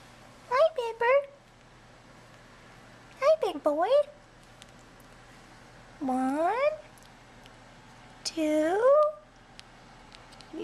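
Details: Young bottle-fed kittens in a nursery crawl out of their tent at feeding time, giving clear harmonic meows that rise then fall, in short bursts and longer drawn-out cries spaced a few seconds apart, with a woman speaking softly between them.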